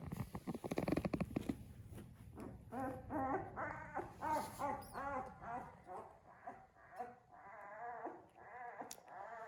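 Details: One-week-old British Labrador Retriever puppies from a litter of five, indoors with their mother: repeated high squeaky whimpers and squeals with wavering harmonic pitch, several every second, after a brief burst of handling noise at the start.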